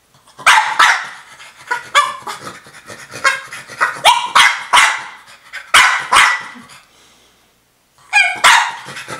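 A French Bulldog gives sharp, raspy barks in uneven bursts, demanding her toy.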